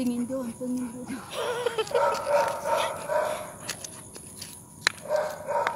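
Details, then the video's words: Rottweiler on a walk at night; a human voice speaks briefly at first, then repeated rapid barks follow in loose runs, with a few sharp clicks and constant faint hiss. "A Night Walk With Rott"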